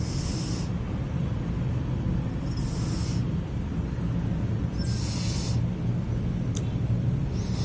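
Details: Pizza, a cat, snoring while asleep: breathy hissing bursts come about every two and a half seconds over a steady low rumble.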